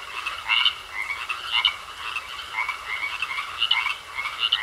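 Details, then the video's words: Frogs croaking in a pond: a dense chorus of overlapping rasping, mid-high pulsed calls roughly once a second, with a steady high ringing tone running beneath and no other clear sounds. "Sounds Of Frogs Croaking In A Pond"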